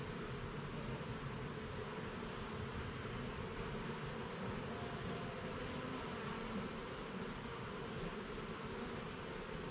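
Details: Honey bees humming during an inspection of a garden hive, levels and frames opened; a dense, steady low buzz fills the whole stretch with a continuous droning hum and no voices.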